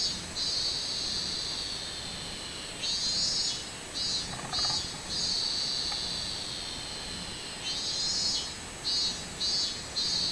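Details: Song of a robust cicada, 24 July 2016: a continuous shrill drone alternating with louder throbbing pulsed phrases near three, five and nine seconds, with a faint lower sound briefly mid-clip.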